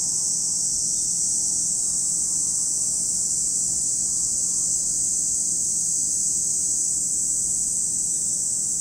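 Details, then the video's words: Cicadas at Lake Kamo in Sado City, Niigata Prefecture, Japan: an unbroken, high, hissing drone that holds steady for the whole stretch without pauses, over a faint low rumble. "Lake Kamo in Sado City, Niigata Prefecture, Japan, where you can hear the voice of cicadas."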